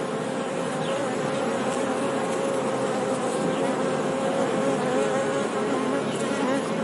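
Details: Honey bees buzzing: a dense, steady hum with a strong low drone line and a broad noisy wash above it, unbroken and even in loudness throughout, with faint thin whines drifting over the top.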